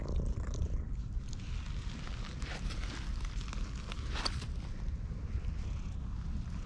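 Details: Ginger tabby stray cat met in a park, purring loudly while being stroked, recorded on a GoPro HERO8. A continuous low rumbling purr is overlaid with faint rustling and handling noise.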